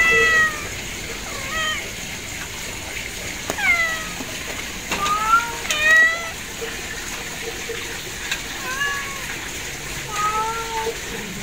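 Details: Kittens mewing in short bends, about eight thin cries spread unevenly over the stretch, some sliding downward, against a quiet hiss.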